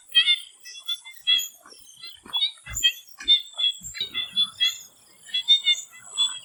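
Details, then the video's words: Frogs in a swamp before sunset, a crowded chorus of quick, high chirps and ticks in irregular bursts, several callers overlapping, over a constant thin high-pitched whine. "The Relaxing sound of swamp frogs"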